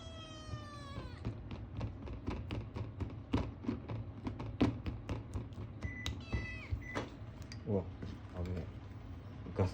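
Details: Ragamuffin kitten, male, begging for food indoors with odd noises: an opening falling meow, later short stepped high mews, amid steady tapping clicks and a low hum.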